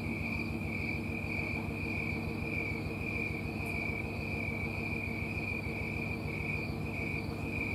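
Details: Snowy tree cricket, also called green tree cricket, calling from trees on a Colorado summer night in September 2022. Its even, rhythmic high chirps pulse without pause over a low steady drone.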